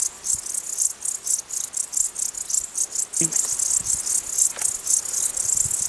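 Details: Crickets in the mountains chirp in rapid high-pitched pulses, repeating several times a second.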